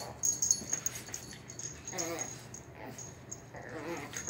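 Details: A one-year-old Shih Poo mother and her eight-week-old puppy play fighting indoors in a living room. Short raspy, wheezy growling bursts come in clusters near two, three and four seconds, with soft scuffling between them.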